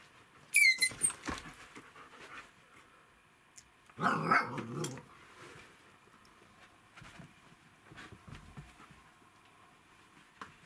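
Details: Husky named D'Artagnan with his two puppy daughters, Marta and Aliska; a high thin whine opens, then a short rough harsh burst near the middle, followed by soft scattered scuffles and quiet sounds.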